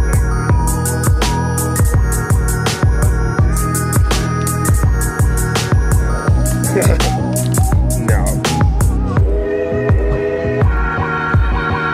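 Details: Loud electronic music with heavy, pounding beats fills the whole stretch, with faint speech underneath and no animal sound.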